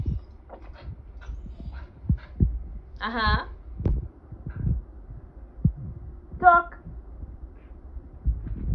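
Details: Playful Siberian husky lets out two short, sliding, harmonic-rich yowls about three seconds apart, with soft knocks, rustling and a person talking in between.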